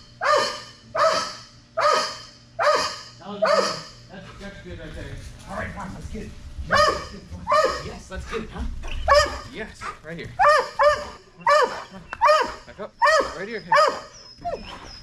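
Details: Strider the Belgian Malinois barking at Fetch-It air retrieve dock diving practice, a bumper being raised higher: rapid series of barks, a pause with a person talking and splashy rumble, then a faster run of barks.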